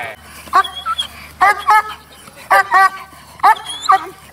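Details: German Shepherd in prison service dog training at Pankrác, Czech Republic; sharp, ringing barks come in short bursts about once a second, with a human voice mixed in between.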